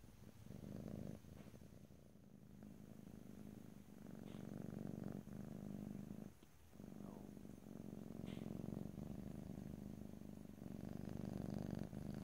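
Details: Domestic cat purring close to the microphone, recorded in stereo: a steady low rumbling purr in long stretches, broken by short pauses for breath, with a few faint clicks and rustles.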